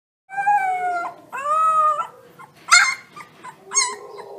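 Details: Gray wolf pups give high, wavering howls that break into squeaky yips.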